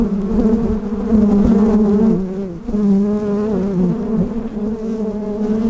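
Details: Western honey bees from a hot, mean hive with many bees buzz defensively in a loud, steady low hum while being fed during fall hive preparation at a farm yard.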